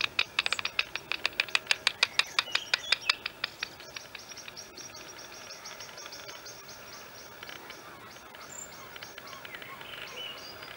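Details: Serotine bats (Eptesicus serotinus), 3 or 4 expected to emerge near a daycare in Andijk, Netherlands, on the evening of 7 May 2023: echolocation through a detector set at 28 kHz gives a quick run of dry, sharp clicks that fades to softer ticks.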